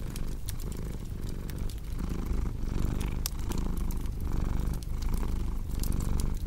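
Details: Cat purring steadily, deep throbbing rumble rising and falling in breathing cycles roughly every second, mixed with scattered crackles and pops from a cozy fireplace.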